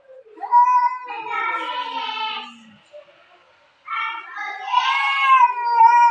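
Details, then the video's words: Fight between two pet cats indoors: two loud, strained caterwauls separated by a brief lull. Each wail swells, holds with a wavering pitch and bright harmonics, then trails off, with a faint low moan underneath. "Cats Fighting with sound"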